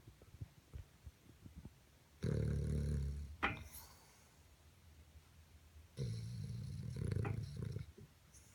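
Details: Cosmo, a dreaming 10-year-old Boston terrier sleeping next to a radiator, gives two deep, rumbling snores of about a second and a half each, with a short sharp snort in the quiet gap between them.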